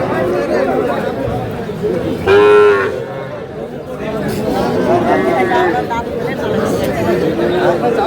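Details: At a Dhaka cattle market on 4 February 2026, with small bull and heifer calves for sale, a short loud moo cuts through. Fainter lowing follows later, under constant crowd noise and men haggling over prices.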